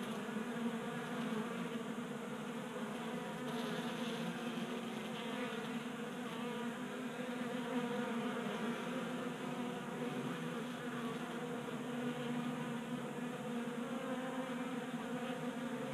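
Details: Sustained humming of numerous honey bees feeding from a 3D printed feeder on a garage workbench in Colorado in January, an even, rich buzz that barely changes over its length.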